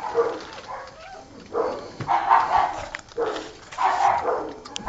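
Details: Old Tyme Bulldog litter at six weeks old, just taken off the mother to wean; three bursts of overlapping whiny yelps and whimpers, each lasting about a second.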